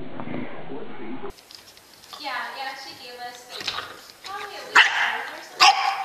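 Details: Dog giving a short harmonic whining cry midway, followed by two sharp loud barks near the end, after a brief stretch of other noise at the start.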